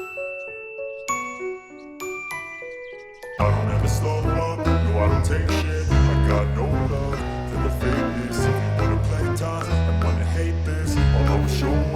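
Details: A few bright glockenspiel-like notes ring out alone, then a loud band with deep bass and steady beats takes over. No bird or other animal voice can be picked out.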